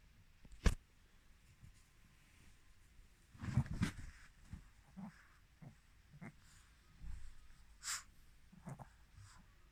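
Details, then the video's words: Chirol, a female Mal-Shi (Maltese father, Shih Tzu mother) born 22 July 2017, sneezing, recorded 14 November 2020: a sharp burst near the start, then a louder double burst, followed by soft snuffles and breaths and a later hissing burst. "マルシーズー ちろる くしゃみ"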